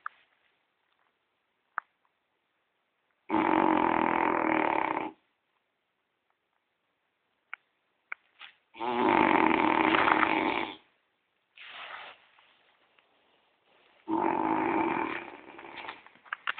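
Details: Sleeping French Bulldog Gordon snores heavily, like a human: three long, loud, grating snores of about two seconds each, separated by quiet gaps with small snorts and clicks.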